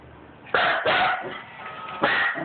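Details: A dog barks at a printer while documents are printing. Two quick rough, hoarse, explosive barks come close together, then a single louder bark after a pause, over a faint steady background hum.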